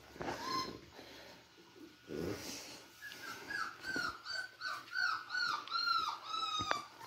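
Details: Beagle puppies playing: rough low growls at first, then a run of about eight rapid, high, arching whine-yelps, one after another, over a faint steady hum.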